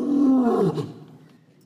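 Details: An African lion roar, presented as Cecil the lion of Hwange National Park, Zimbabwe: a deep, throaty roar that swells briefly, then slides lower and fades away.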